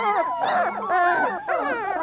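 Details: Three-week-old Labrador Retriever puppies whine in a continuous stream of wavering, tonal cries that rise and fall, several voices overlapping in a short burst.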